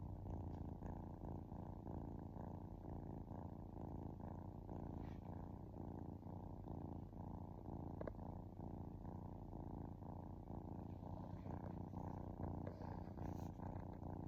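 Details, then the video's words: Long, even purring from a relaxed kitten: a low vibrating rumble pulsing in regular breath cycles roughly every half second, steady throughout with a faint brief click near the middle. "Cute Kitten Purring"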